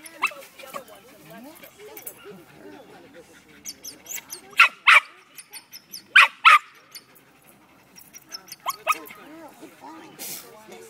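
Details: Terrier Tara, reacting to a rat in a can, gives scattered sharp barks, some doubled, about a second apart, with quieter whines and rustling between them.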